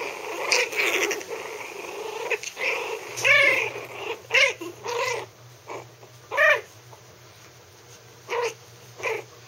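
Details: Three-week-old Maltese puppies, still wobbly, give thin, high squeaky growls, howls and yelps in short bursts while playing together in a play pen.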